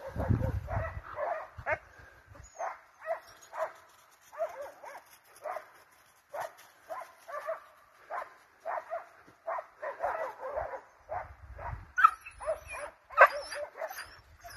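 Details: Hunting dogs, scent hounds and Russo-European Laikas, chase a wild boar, barking and baying in rapid, fairly regular loud ringing yelps, two or three a second, over low wind or handling rumble.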